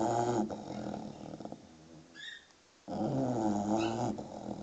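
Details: Snoring English bulldog puppy aged six months, two loud gravelly snores with strong harmonic buzz, separated by a quieter gap holding a brief bird chirp.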